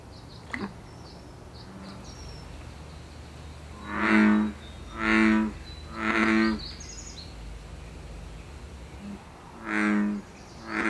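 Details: Canadian wild American bullfrog in the breeding season, producing deep, booming croaks: three in quick succession, a pause, then two more, over a quiet background with distant bird twitters.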